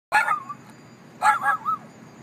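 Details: Chihuahua inside a truck in a parking lot barking at a passerby: two sharp yappy barks about a second apart, each trailing into a short whiny tone.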